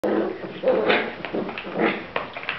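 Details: Sealyham Terrier puppies recorded on 16 October 2010, giving short, high, thin whimpers and yelps in quick bursts, with a person speaking Hungarian close by.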